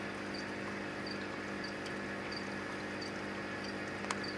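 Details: Male Anthony's poison arrow frog singing to attract females: short high chirped notes repeated at a steady pace, about one every two-thirds of a second, faint over a constant low electrical hum.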